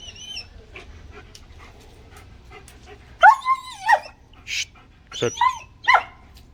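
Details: German Shepherd puppy at play giving a few high, bending whines and short yelps, the tones sliding up and down, in bursts separated by quiet stretches with faint clicks and rustling.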